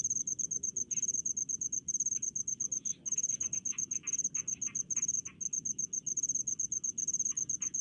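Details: Cricket calling from rice fields near a village, a piercing high chirp in quick pulsed bursts broken by short pauses, accompanied by softer mid-pitched insect clicks and steady low background noise.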